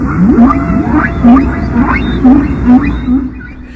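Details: Whales singing: low, moaning tones rise into short upswept cries, repeated in a steady rhythmic pattern.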